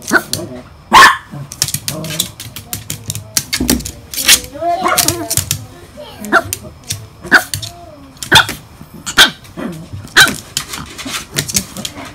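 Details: Miniature Pinscher named Hana, kept in a cage and wanting to be let out, giving short sharp barks and whiny, wavering whimpers, with a person's voice talking at times in between.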